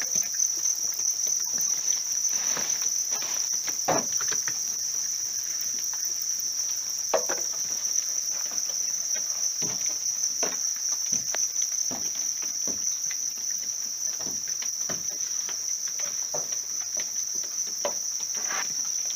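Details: House crickets in a rearing setup sing a sustained high trill, slightly quieter, punctuated by frequent sharp clicks and scratchy taps from movement nearby.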